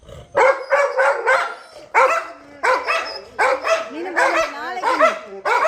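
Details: Labrador Retriever named Anbazhagi barking loudly in a rapid series of sharp, harmonic-rich barks, some rising and falling, in bursts with short pauses; a person talks in Tamil around the barking.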